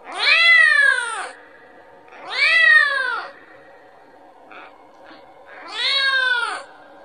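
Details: Kitten calling out to its mother for milk with three strong, bowed meows, about two seconds apart, plus a couple of faint soft clicks in the gap before the last cry.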